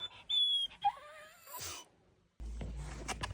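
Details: Yuki, a Samoyed puppy, yawning in the morning: a high squeaky whistled whine that slides down and wavers, then a soft breathy fade, followed by rustling and handling noise.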